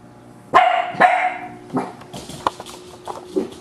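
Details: Dachshund in a litter-birth setting, with puppies born July 5th 2009; a loud sharp bark, then a second, followed by several quieter short yips and barks over about three seconds, against a faint steady background hum.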